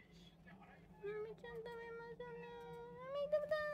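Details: Domestic cat, one of three house cats (tabby, Abyssinian and short-legged Munchkin) seen in daily life indoors in April 2024; a long drawn-out meow of about two and a half seconds, steady then rising slightly at the end, over a low steady hum.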